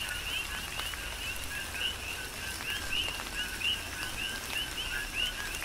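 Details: Rain falls on the Big Island, Hawaii, while coqui frogs keep up a rhythmic chorus of paired notes, each a lower tone then a rising chirp, about forty calls a minute standing out above the rain.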